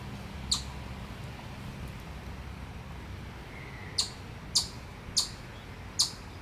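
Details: Predator warning from a chipmunk at Miller Park, Upper Arlington, Columbus, Ohio: one high chip, a pause, then four more sharp chips at the end, spaced about half a second apart.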